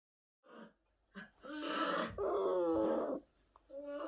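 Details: Orphaned new-born brown bear cubs at the Orphan Bear Rescue Centre, rescued in 2023 after losing their mothers. A short squeak, then longer harmonic bawling cries that waver in pitch, with a quieter whining call at the end.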